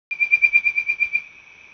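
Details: A Bird-voiced Treefrog gives a quick run of clear, bird-like whistles on one steady pitch, recorded 29 April 2017 on Coquille Trail, Jean Lafitte NHPP, Marrero, Jefferson Parish, Louisiana.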